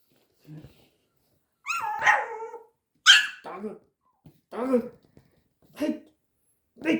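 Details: Ponki, a Pomeranian puppy aged five months, barks at a scary tiger toy: sharp, high, clipped yaps roughly once a second, mixed with brief human talk in a small room.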